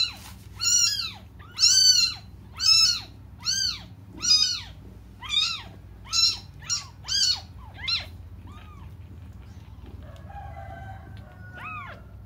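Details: Young cats calling for their absent mother, giving a run of loud, arched, high-pitched meows about once a second that grow shorter and fainter, ending with a few soft cries over a steady low hum.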